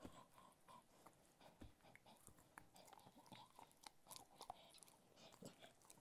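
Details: Cocker Spaniel named Ted enjoying various foods: steady wet chewing and crisp crunches come in quick irregular bursts, with several sharper bites standing out near the middle and end.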